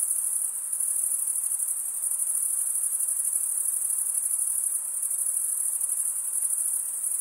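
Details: ['Continuous stridulation from many crickets, the males chirping with serrated wing veins: a bright, steady high trill with a faint pulsing texture and no pauses, nothing else audible.']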